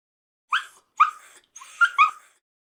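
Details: Puppy making four short, high-pitched yelping barks, the later ones drawn out into whiny whimpers.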